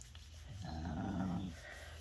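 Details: French Bulldog rolled over for belly rubs, making its happy noise: a low, throaty grumbling moan lasting about a second, swelling and then fading, with faint background hum.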